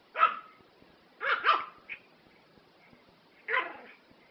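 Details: Small Prague Ratter giving high-pitched, yappy barks: a single bark, a quick double bark, a short yip, then one more bark after a pause, each sharp and bright.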